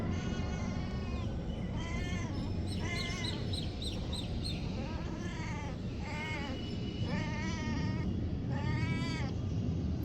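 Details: Kittens rescued from the street and kept as pets give about seven high, arching, harmonic meows, each under a second, spaced irregularly across the stretch over a steady low rumbling background noise.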